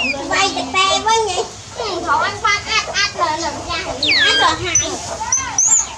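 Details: Baby monkey named Dewdew crying loudly for its busy mother: rapid series of shrill, wavering screams with bent, warbling notes, rising sharply toward the end, repeated bursts with brief gaps.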